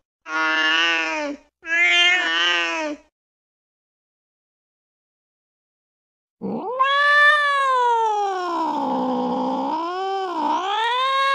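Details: Domestic cat sounding angry and eerie. Two short harsh yowls are followed by a pause, then a long, low, undulating caterwaul that rises, sags and climbs again over five seconds.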